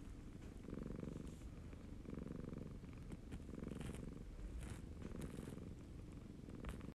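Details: Siamese cat, a male pet, purring contentedly: a low, steady rumbling purr with soft pulsed bursts roughly every 1.3 seconds, the rhythm of its breathing, plus faint clicks and rustles in a quiet indoor room.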